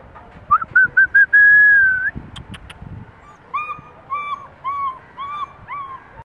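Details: Long-coated German Shepherd puppy whining: a few short high whimpers lead into one long, steady whine, then a pause with light clicks, then a run of six brief, even whines repeated about every half second.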